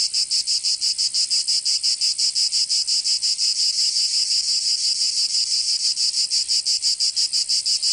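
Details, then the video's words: Summer cicada chorus in Provence, southern France, a high continuous rasping buzz beating in regular quick pulses, roughly three per second, unbroken across the whole stretch. "Canto Cigarra 🦗 [ Escuchar les cigarras en verano"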